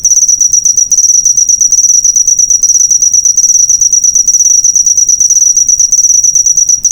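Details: Cricket chirp recording used to train cage birds: constant shrill pulsing trill, very high and rapid, with tiny gaps near the start and end.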